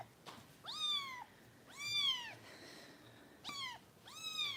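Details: Foster kitten at a volunteer kitten rescue in Los Angeles, being bottle-fed and lately difficult to nurse; four loud falling meows, each about half a second long, spaced roughly a second apart, with faint background room noise.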